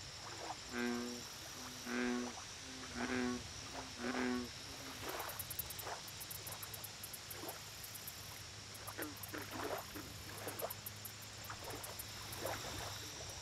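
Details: Deep, resonant American bullfrog croaks at a lake, four strong buzzy notes in quick succession about a second apart, then only soft scattered clicks and background hum; rhythmic high insect ticking throughout.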